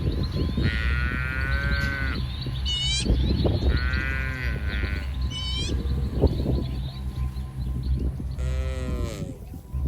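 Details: Dozens of tame cattle, coats from light brown to jet black, graze as a herd in a wide, muddy green rice field in soft morning sun; three drawn-out harmonic moos rise and fall, with short bird chirps and a steady low rumble behind.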